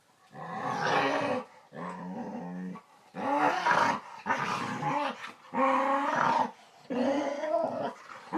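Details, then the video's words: Pet dog indoors making weird, articulate-sounding vocal noises: long harmonic growl-moans with wavering pitch, in about five drawn-out bursts separated by short pauses. "Dog makes weird sounds"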